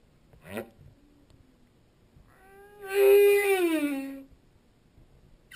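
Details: Underwater humpback whale song: a short upward sweep, then a long, rich moan that holds steady and slowly slides lower over more than a second, in quiet surroundings.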